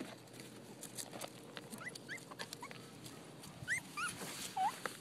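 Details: Several puppies playing with boots and jeans in a backyard; short, high squeaky whimpers and yelps, some rising and some falling, scattered and then bunched in the last seconds, over steady rustling and scuffing.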